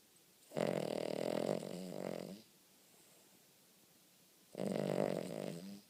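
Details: Asleep indoors, a Cavalier King Charles Spaniel gives two long, loud, rattling snores, each about two seconds long, with a buzzy vibrating texture and a quiet pause between breaths.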